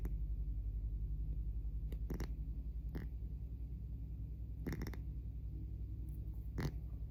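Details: Loud snoring from a sleeping pet cat indoors, a deep, continuous low rumble that swells and fades in a regular breathing rhythm, with scattered brief clicks and rustling sounds.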